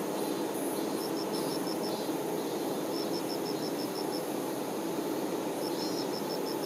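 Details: Worker honey bees attending the queen make a thick, unbroken droning buzz. Short runs of rapid, high ticking chirps break in three times over the steady hum.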